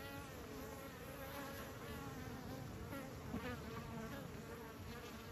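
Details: A continuous, rich bee buzz from beekeepers' colony, a steady drone with wavering overtones and a brief sharp tap midway.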